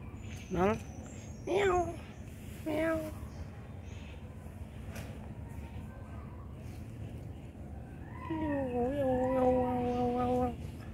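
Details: Mr Noll, a cat living at a pagoda, gives three short rising meows about a second apart, then a longer drawn-out wavering meow that dips and rises, with faint background murmur.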